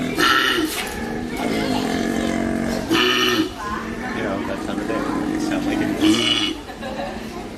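A koala gives deep, rasping, belch-like calls with a droning, snoring rhythm.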